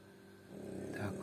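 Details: A French bulldog snores while asleep, a low rattling drone that swells into a rougher, noisier breath.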